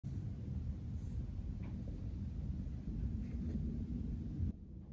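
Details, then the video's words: Kiki, a cat lounging in her favourite brown bag on the carpet, purrs contentedly while her chin, ear and neck are rubbed: a dense, steady low rumble that stops abruptly near the end, leaving a quieter tail. "Purring Cat Enjoys Being Petted"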